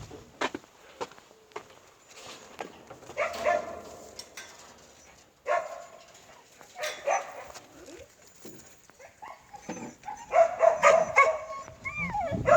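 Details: Korean Jindo dogs giving scattered, irregular barks and yelps, in bursts through the recording and thickening toward the end, with clattering and background noise between.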